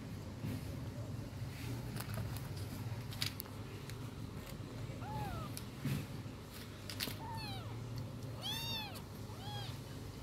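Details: Domestic cat meowing, quiet at first, then a run of short arched meows in the second half, several falling in quick succession near the end, over a steady low hum and scattered clicks.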